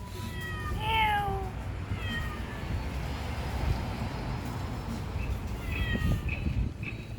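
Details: A feral neighbourhood cat recorded in 2019 with a Samsung Galaxy S9+ lets out a loud drawn meow, then a shorter one, and after a quiet stretch two more meows, against a steady low background hum.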